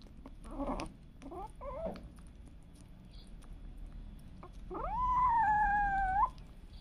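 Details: Pet cat among cats and kittens indoors: two or three short chirpy mews, a pause, then one long, steady, high-pitched meow that holds level and lifts at the end before stopping abruptly.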